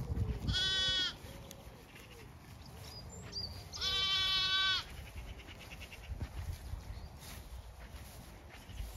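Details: Zwartbles sheep, ewes and exploring lambs, grazing fresh pasture on a County Kilkenny farm, Ireland; two clear trembling bleats about three seconds apart, then quiet grazing sounds and soft background hiss.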